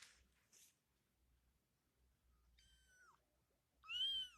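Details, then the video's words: Kitten at play giving two short, high meows near the end, the first falling and the second louder and arched, after soft rustling and faint scratchy noises. "Baby cat | Funny cat | Cat playing | Cat sound effect"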